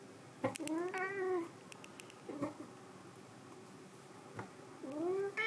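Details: White cat named Sea Cucumber meows: one clear arched meow, a short broken cry, then a rising meow at the end, with quiet pauses between them.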